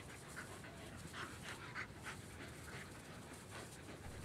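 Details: Australian Cattle Dog, one of three females out in the backyard on a fine-weather day, panting in rapid breathy puffs, about three and a half per second, steady and fairly quiet throughout.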